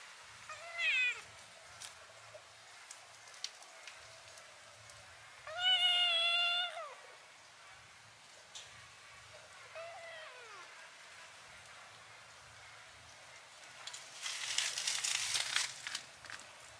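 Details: Kitten mewing with a wide-open mouth: three separate drawn-out mews spaced several seconds apart. Each bends upward then falls, and the middle one is the loudest and longest. A burst of rustling noise comes near the end.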